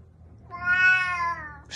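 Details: A single long, loud meow swells and then fades over about a second, from a cat attacking and biting its owner, ending with a short burst of noise.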